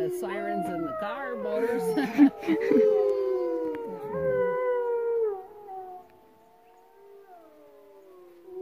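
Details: Several gray wolves (Canis lupus) at a wolf sanctuary in the Wet Mountains near Westcliffe, Colorado howl together in long, overlapping, gliding tones that slowly fade out.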